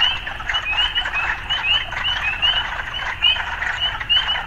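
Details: Urban frogs mixed with occasional sounds of city life, giving a steady chorus of quick upward-sliding chirps, many per second and closely overlapping, over faint background hum.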